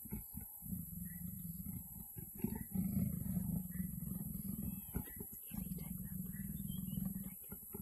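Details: Leopards mating, giving low, rough rumbling growls in three long bursts of about two seconds each, separated by short pauses, with a vehicle engine droning underneath.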